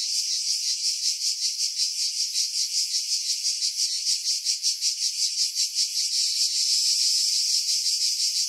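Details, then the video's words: Cicadas singing in pine trees about 50 m above the sea at Pefkos Bay, Skiros Island, Greece, July 2018, recorded on a Sony RX3 with external mic; a dense high hiss pulses about three times a second, with low wind filtered away. "Cicada Sounds, July 2018 Skiros, Greece"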